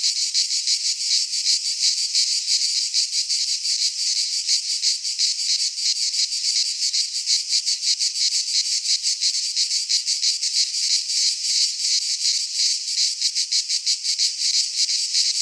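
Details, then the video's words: In a Greek pine forest at midsummer, cicadas keep up a continuous high, rasping buzz broken into rapid, even pulses, about three per second, sustained throughout without pause and with no other sounds. "Cicadas singing in midsummer"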